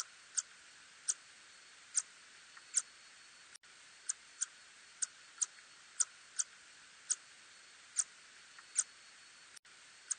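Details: Little tube-nosed bat recorded in 2020. Short, sharp, high clicks come singly at irregular gaps of roughly half a second to a second, over a steady faint background hiss.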